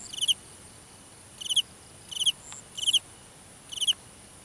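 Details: Cricket calling at night in a grass field, Vietnam: five short pulsed chirps, each a rapid burst of three or four ticks, repeated at irregular intervals of roughly one second over quiet background hiss; faint steady high insect whine behind.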